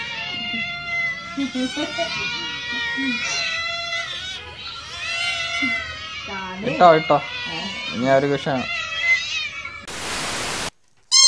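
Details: Domestic cats meowing repeatedly in a string of high harmonic cries, overlapped by human speech, ending with a burst of noise.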